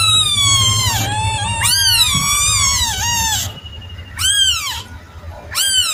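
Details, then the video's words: Kitten meowing in long, drawn-out wavering cries that run together, followed by two short arched mews after a brief pause; faint low hum in the background. "Suara anak kucing"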